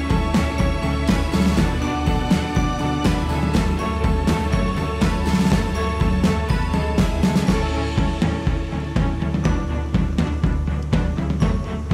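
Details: Steady, busy instrumental background music with a firm beat plays throughout; no bee buzzing or other animal sound comes through.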